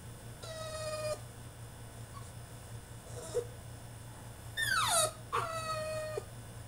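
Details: French Bulldog throwing a tantrum in his cage: a level held whine, soft whimpers, then a loud falling cry followed by another steady held whine, all over a low background hum.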